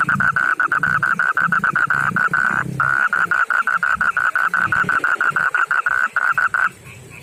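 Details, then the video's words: Male frog of backyard ponds and rivers, rougher-skinned than the rice-field frog, calling to a female: a loud, rapid, steady train of short mid-pitched pulsed croaks, briefly pausing near the third second, over low rumbling background noise. "begini suara kodok jantan panggil betina"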